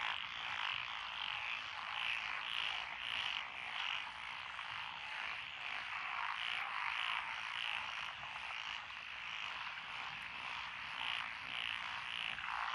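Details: Many frogs calling together from lotus paddy fields along a rural road in Echizen, Fukui Prefecture, Japan, June 12, 2021; a continuous rattling, pulsing chorus of overlapping croaks that swell and ebb roughly twice per second.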